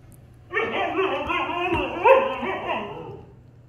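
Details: Appa, a Siberian Husky, argues with his German Shepherd brother Arlo at home. One long wavering, moaning howl-like vocalization lasts about three seconds, rising slightly near its end before fading.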